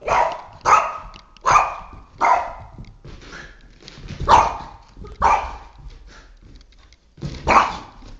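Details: Boston Terrier Oscar, aged three and a half, wages war on a flashlight indoors, giving sharp barks in bursts, four fast ones, then a scrappier stretch with softer noises between louder barks.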